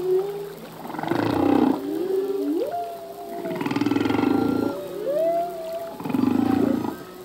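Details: Humpback whale male singing, from a full-length song whose phrases change each year: low mournful moans that swoop up and down, broken by repeated buzzy, pulsed bursts roughly every two to three seconds, all echoing through open ocean.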